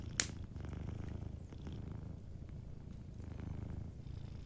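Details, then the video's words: Sleeping cat's soft purr, a low steady buzzing rumble with gentle breath pulses, opened by a sharp pop from the crackling fireplace. "Sleeping Cat 🐱💤Fireplace & Soft Purring"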